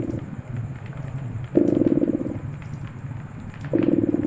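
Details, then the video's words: Steady throaty purring from a cat by a crackling fireplace, louder buzzing waves rising roughly every two seconds and fading back to a low continuous rumble. "Purring Cat"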